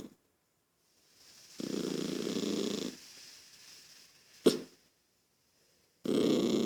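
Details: Growling toy poodle named Lucky, irritated by a noisy child: a rasping growl over a second long, fading into a softer rumble, a sharp snort, silence, then a renewed harsh growl.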